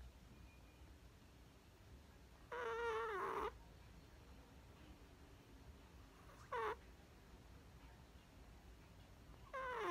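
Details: Chihuahua puppy Perchik snoring in his sleep, 12 October 2020: squeaky whistled snores that drop in pitch, one long and two short, spaced several seconds apart against steady low room noise.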